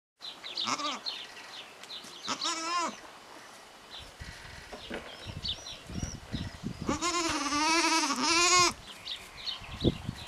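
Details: Three-day-old goat kid born with malformed front legs, fitted with an improvised splint of tubing and tape, Parignargues, France; wavering, tremulous bleats near 0.7, 2.5 and a long one at 7–8.7 seconds, with shuffling noises and faint chirps.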